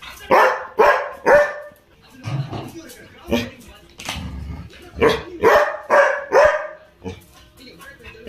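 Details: Labrador Retrievers, several dogs at home in the evening, barking loudly in quick bursts of three. After a pause filled with human voices, another run of four or five sharp barks follows.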